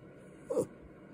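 A Yorkshire Terrier gives a brief, falling grumble, a short growl-like demand for its walk.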